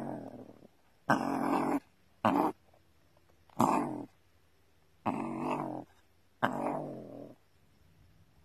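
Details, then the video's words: Gray fox in its burrow, called ferocious: six raspy, noisy growls of varying length, some short and clipped, others drawn out, with quiet gaps between, recorded close in an enclosed space. "Ferocious Gray fox in his burrow"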